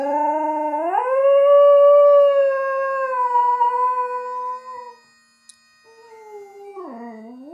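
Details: Toby the Border Terrier singing to bagpipes from the Edinburgh Tattoo: a strong howl climbs to a long, steady sustained note lasting about four seconds, then after a short gap a new howl starts and slides downward.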